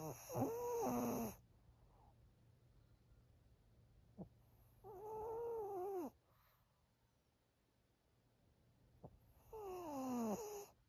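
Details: Maria, a senior thirteen-year-old fawn female Pug in Japan, produces three higher, whinier snoring breaths with falling tones, spaced roughly four seconds apart, plus a couple of small clicks in a quiet room.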